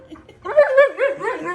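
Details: Indoors, the husky-malamute dog Wulf 'talks' in a run of wavering, up-and-down woo-woo sounds, several linked modulated moans in quick succession, as his owner chats with him about starting a new job.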